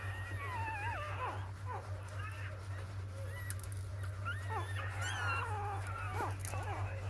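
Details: Six newborn puppies, four days after birth, give thin high squeals that rise and fall, overlapping in quick succession, with a steady low electrical hum underneath.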